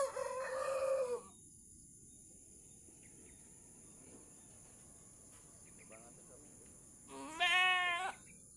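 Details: Goat doe having trouble giving birth, with help pulling the kid; a crowing-like call opens, then near silence with faint clucks, before a strong harmonic bleat near the end.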